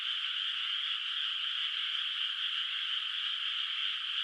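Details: Moonlit countryside rice field at night, unplanted water, with far-off frogs; an unbroken, high-pitched rasping chorus holds steady throughout, individual calls lost in the dense mass of sound.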